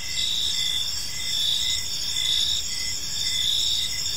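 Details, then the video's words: High, shimmering cricket chirps fill a serene park at dusk, short regular pulses sounding about once per second above a steady hiss and gentle low hum. "Cricket Sounds in a Peaceful Park"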